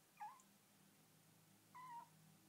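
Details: Female Bengal kitten talking indoors in her new home: two short quiet meows about one and a half seconds apart, the second flat and drawn out, over a low background hum.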